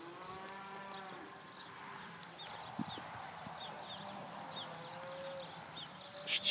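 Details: Young Hereford heifers, described as gentle, at a sale of open heifers dated 5/3/14. One drawn-out, deep harmonic moo opens the recording, then fades. Small birds chirp high above throughout, with a low background murmur.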